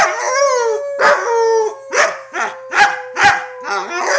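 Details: Roughhousing female wolfdog pup, about six to seven months old in 2013, mixes a drawn-out howl with choppy yipping barks roughly twice a second, a steady tone running underneath.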